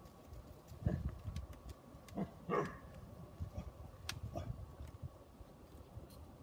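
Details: Three Great Pyrenees puppies give a few short, yappy barks, spaced irregularly over a low rumbling background.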